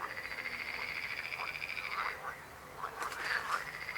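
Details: Steady rattling frog croak lasting about two seconds, then a short pause and a fresh burst of clicking, pulsed croaks from more than one frog.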